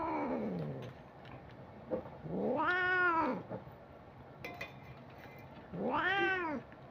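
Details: Housecat calling with repeated loud, harmonic-rich meows that rise then fall, about three seconds apart, after a descending whine at the start; quiet room hum between calls.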